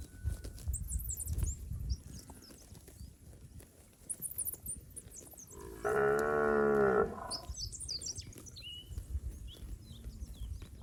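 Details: A fat village cow from a herd wandering the rice paddies gives one low, even moo lasting just over a second, amid scattered bird chirps and soft rural background noise.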